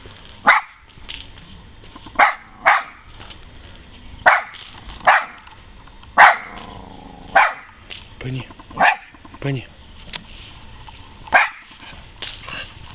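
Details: West Highland White Terrier barking during a voice check, sharp short barks spaced about one to two seconds apart, roughly a dozen in all, with a person speaking Russian between them and a faint background hum.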